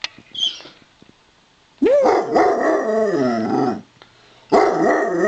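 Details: Greeting howls from a Basset Hound, a rough, gargling chuckle that rises, warbles and falls over about two seconds, repeated after a pause, with a brief human squeak and a low hum indoors.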